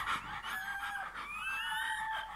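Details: Newborn Bernese Mountain Dog puppy at birth giving a thin, drawn-out whine that holds steady and then slides gently upward, with a faint hiss of room noise underneath.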